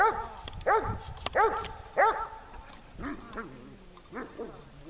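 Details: Dog named Tashik during dog training on a hot day, 26 July 2020, in Horlivka: loud harmonic barks in quick pairs, then softer, lower barks trailing off, with faint speech in the background.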